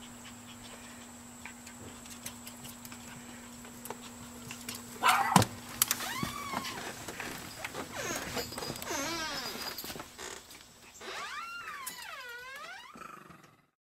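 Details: Eight-week-old Chihuahua puppies, two males and two females, exploring outdoors in Fredericksburg, Virginia; high, arching whimpers and yelps rise and fall in short bursts midway, then a longer drawn-out whine near the end, amid bumps and knocks.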